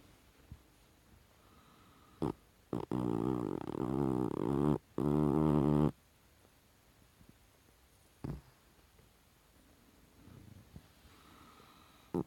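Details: Sleeping Chihuahua named Goliath making dream noises that sound like snoring: two long, rough, droning groans of roughly one and a half seconds each, broken by a short gap, with faint taps before and after in an otherwise quiet indoor space.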